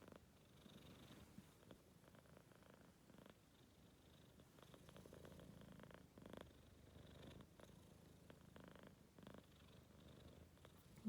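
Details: Four-month-old Maine Coon cat, tired after running around, indoors, giving a soft, low rumbling snore or purr in steady pulses through the whole stretch, quiet and close, with faint room noise.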